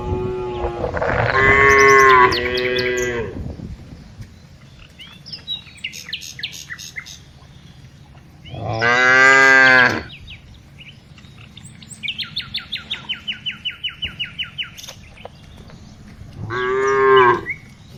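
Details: Tame cows being herded in the afternoon: three long, deep, harmonic moos, each lasting one to two seconds, spaced several seconds apart, with bird chirps and a rapid trilling bird call between them.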